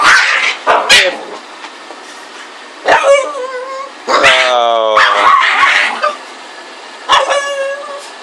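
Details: Playful Boston Terrier crossed with a Pug, a Bug mix: sharp yips and barks come in bursts, with high wavering whines sliding down between them, while a person talks to the dog in the gaps.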